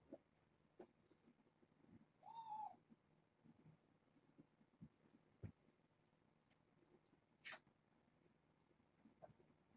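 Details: Kittens from a litter of six born August 29th to a family pet, snuggling and napping on a person indoors at bedtime; one short, faint, steady mew with a tonal ring, amid soft rustling and light clicks.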